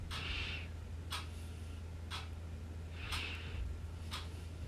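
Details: Baby kitten named Siru indoors in a small room, sneezing after rolling backward; short breathy hissing bursts repeat about once a second, five in a row, over a steady low hum.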